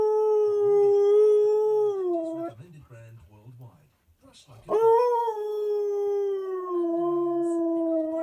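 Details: A domestic Husky/Malamute howling to a favourite TV advert, its own distinct song for that advert: steady drawn-out howl, a dip into quieter advert speech, then a sharp rising onset into another long sustained howl.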